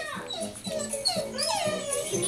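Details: Female pet Siberian Husky missing a male dog companion gives wavering, whining, speech-like yowls that rise and fall in pitch, overlapping a person's questioning voice.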